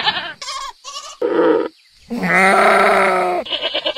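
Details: Several farm goats bleat with loud, wavering, nasal cries, their voices overlapping in quick succession.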